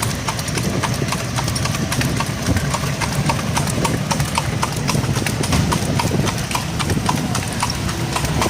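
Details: Horse drawing a cart after dark, a clear, regular clip-clop of hooves, about three or four knocks a second, over the deep rumble of the moving cart.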